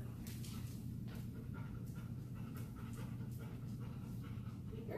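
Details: A five-year-old female Golden Retriever in obedience training pants in quick, breathy pulses about every third of a second, under a steady low hum, with a man's voice talking nearby.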